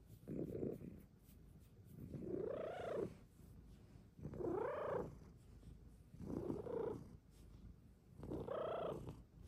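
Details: Luxey, a female Bengal cat, purring extra loud while cuddling in her cat cave; five breathy, humming bursts, each arching up then down, come roughly every two seconds with quiet gaps between.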